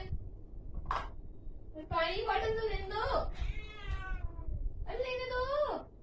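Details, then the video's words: Angry domestic cat with a brief sharp sound, then three sustained, rough, wavering yowls, the middle one long and sliding downward, against a steady low rumbling background. "Angry cat sound"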